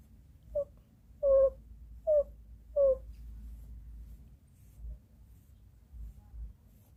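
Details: Fourteen-year-old female Shih Tzu crying hard after a long wait, indoors in Ubon Ratchathani, Thailand: four short, high whimpers in quick succession, each a brief wavering tone, then quiet room hiss with faint low thumps.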